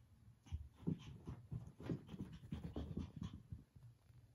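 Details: A puppy struggling to win back his favorite toy from his cat brother pants rapidly in short, breathy, low puffs, repeated steadily for several seconds.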